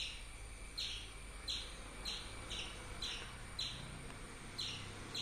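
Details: Slower squirrel chirping: eight sharp, high notes spaced a little over half a second apart, with a steady low rumble underneath.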